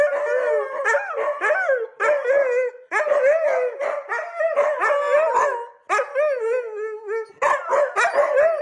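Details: Dogs or puppies howl like wolves, with bursts of short warbling, bark-like yowls that rise and fall, repeated in quick clusters with brief gaps between.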